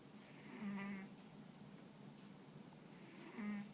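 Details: Ponta, a dog sleeping soundly with occasional twitching paws and ears, snores indoors: two droning, nasal snores with a steady low tone, about three seconds apart, over quiet room hiss.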